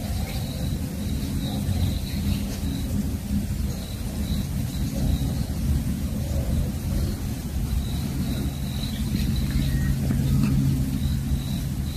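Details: Steady low rumble of rain and passing traffic fills the whole stretch, with a faint repeating high tone and no animal voice.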